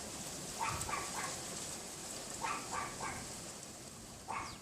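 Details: Pomeranian next door yapping from its yard behind a wooden privacy fence, recorded through a bedroom window on a windy February 2015 afternoon; three clusters of quick high yaps, mostly in threes, set against constant gusty wind noise.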